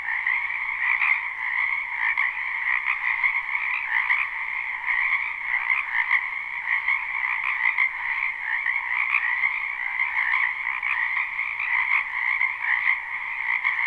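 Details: Dense chorus of many frogs calling from a spring wetland behind a house, recorded live at night without looping; continuous overlapping trills and croaks form two steady bands, with no other sounds standing out.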